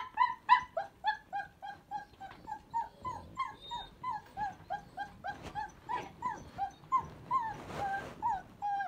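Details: Three newborn puppies confined to their room, not hungry, cold or lonely but wanting out, squeak and whimper in a steady stream of short, high, rising-and-falling cries while a floor is washed.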